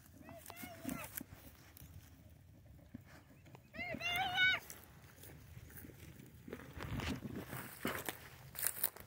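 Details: Boer goats being played with by children starting a small goat herd: two short, wavering bleats a few seconds apart, with rustling, footsteps and children's voices in Spanish around them.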